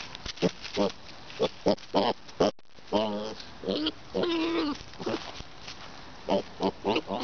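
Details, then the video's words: A pet pig, described as a boar, noisy and nosing at the camera; rapid runs of short grunts, broken by longer whiny squealing calls that rise and fall, with a steady background hiss. "Daisy the Boar being noisy & trying to eat the camera"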